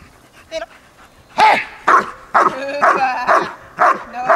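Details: German Shepherd biting a training sleeve for the first time gives loud, harsh barks about every half second after a brief faint yelp, with little other sound.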